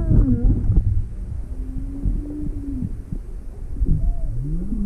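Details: Juvenile humpback whale near Maui, Hawaii, on 17 February 2020, inquisitive and approaching a boat with its motor off while with its mother: low moaning whoops and gliding tones, some rising and falling, with deep underwater rumble throughout.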